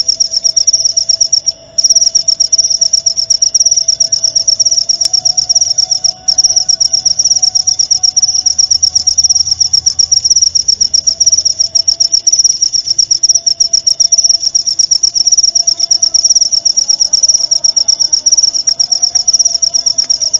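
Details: Continuous high, pulsing cricket trill used as tutoring audio for songbirds and for therapy, broken by two brief pauses near the start, with a faint lower steady tone behind it.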